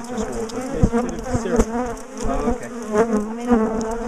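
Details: Bees from a big top bar hive colony being split and moved, a bad-tempered colony that chased people down the garden; continuous droning buzz of many wings rising and falling in pitch, with a few sharp taps.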